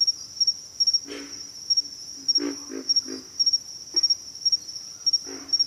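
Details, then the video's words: Pig frogs calling with low pig-like grunts, a cluster of three near the middle and isolated ones before and after, set against a constant high insect trill broken into quick pulses. "pig frogs - sound effect"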